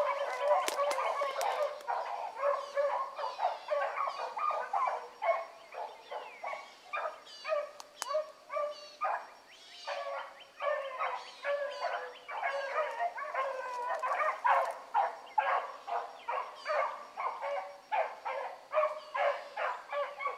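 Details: Young hound pups running a rabbit in the morning, among them Ringo, Mingo and Choco. Several dogs bay together in a dense, fast chorus of short, overlapping yelps and bawls that carry on without a break, heard from some distance.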